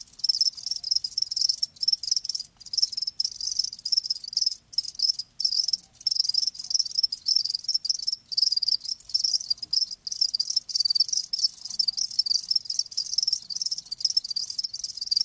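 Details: Live crickets in a continuous chorus of high, shrill chirps, dense overlapping trills with brief gaps scattered throughout, no other sounds standing out.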